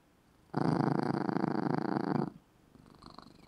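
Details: Loud purring from a cat asleep in its small red bed; one steady rumbling burst lasting nearly two seconds, then a faint, softer purr as it breathes in.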